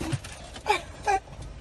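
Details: Skippy, a pet Yorkshire Terrier, barks at the noise inside a car wash at dusk on his first visit, guarding the family. Two short, high, sharp yaps about a third of a second apart over the low rumble of machinery.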